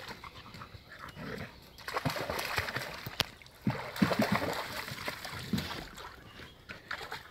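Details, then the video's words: Two Heideterriers, Willy II and Wilma von der Lönsmeute, father and daughter, playing during the hunting off-season; rough panting and snuffling breaths with short throaty growls and a few whimpery squeaks in the middle, amid rustling and splashing scuffle noises. "Wilma & Willy II von der Lönsmeute beim spielen / Heideterrier Aktion"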